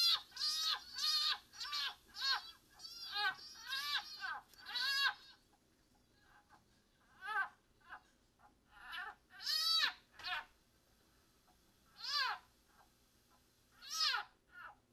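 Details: Wild-caught leopard frog crying in distress while a wild-caught broad-banded water snake eats it: loud, shrill, harmonic screams bending down in pitch, rapid at first then spaced a second or two apart, over a low steady hum.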